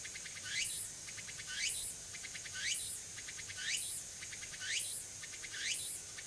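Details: Wild tsukutsuku-boshi cicada on Tanegashima island, Japan, early September afternoon: a shrill ringing background broken by rising, buzzing phrases about once per second, six in a row, very regular.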